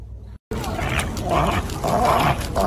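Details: A sleeping female dog vocalizing in her dream: soft, moaning whines with wavering tones, two longer drawn-out moans in the second half over a steady hiss, after a short silent gap near the start.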